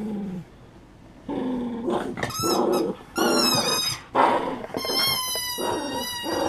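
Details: BOOMER, a pet poodle, plays with a rubber toy indoors, March 2016: low rough growling early on, then bursts of high, harmonic squeaks from the toy layered over throaty growls, with short pauses between.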